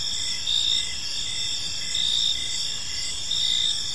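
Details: Crickets chirping at evening in a tranquil park, a steady shrill trilling chorus punctuated by three brief louder bursts, spaced more than a second apart, over faint low rumble.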